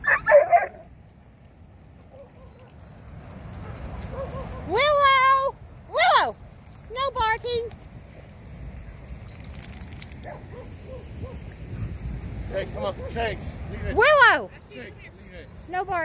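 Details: Rhodesian Ridgebacks giving several short, high, strained barks and yelps in bursts around the middle and near the end, with human speech and low background rumble between them.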